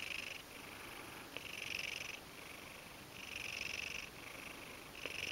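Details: Sleepy Ragdoll cat, yawning, purring steadily in soft, buzzy pulsed stretches that swell and fade in cycles of roughly a second and a half, with a couple of faint clicks between.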